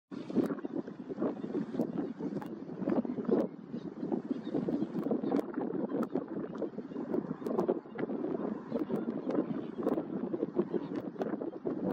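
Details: Steady low rumble of wind and a boat engine, with scattered knocks and no clear animal calls.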